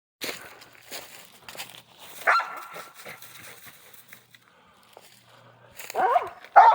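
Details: Dogs out hunting squirrels: scattered rustling and a man's voice, a single sharp bark partway through, then a burst of loud excited barking in the final second.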